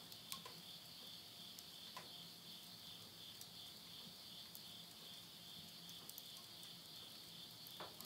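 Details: End-of-summer insect voices at midnight, Yurihama in Tottori, Japan, September 2020: dense, even, high trilling throughout, broken now and then by soft pops and crackling of stove flames.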